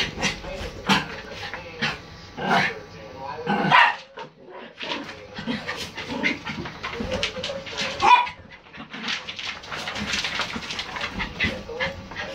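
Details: Three poodles get worked up indoors, giving short, sharp barks and yips in irregular bursts, some close together and some with pauses, while people talk over them throughout.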